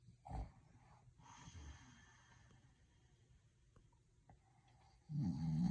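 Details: A sleeping dog snoring indoors, not woken by his own noise: low rumbling snore bursts near the start and a louder, rough snore at the end, with quiet breathing between.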